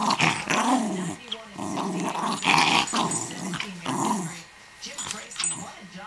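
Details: Pet dog indoors in a small room, playing with a ball: rough growling bursts and short barky outbursts recur irregularly, about two per second at peaks, while a person talks over the dog throughout.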